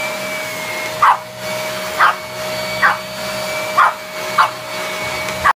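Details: A male Pekingese gives sharp, high single barks about once a second at a loud, steadily whining vacuum cleaner; owner unsure whether he wants to fight it or befriend it.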